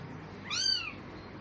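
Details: A single high, thin meow that swells and falls, from a newborn kitten, eyes still shut, one of four found lying on a cloth in a cemetery just before evening prayer time.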